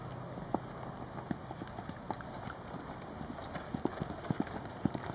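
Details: Charlie, an 11-year-old registered Tennessee Walking Horse standing 15.1 hands, under saddle as a spirited endurance mount; soft, uneven hoof thuds land roughly twice a second, some in quick pairs, over a steady low hiss of background noise.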